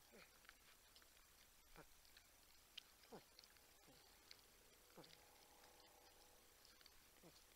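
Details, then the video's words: Wild porcupines at a wildlife cam in San Angelo, Texas, near a buck and raccoon, giving faint humming moans that slide downward in pitch, several spaced a second or so apart, over steady outdoor background hiss. "Humming Grunting Porcupines"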